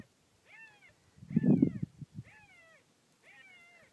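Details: Puppies, at least two, left on a desert property and heard wailing in July 2013. Four thin, drawn-out cries sound about a second apart, each sliding down at the end, with a loud low rumble and thump midway.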